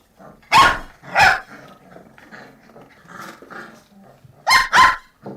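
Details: Puppies barking: two sharp barks, a stretch of softer grumbling and murmuring sounds, then two more loud barks.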